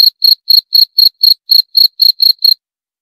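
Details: Cricket giving a run of eleven shrill, evenly spaced chirps at about four per second, then falling silent for the final half second.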